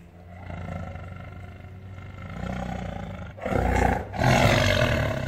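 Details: Caged captive tiger roaring in anger: a long low vibrating growl builds steadily, then breaks into loud, raspy, open-mouthed roaring in the final seconds.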